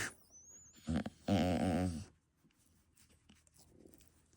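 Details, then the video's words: A bulldog puppy making noises: a short grunt near one second, then a strained, wavering growling whine lasting under a second, followed by near quiet. "macht Geräusche"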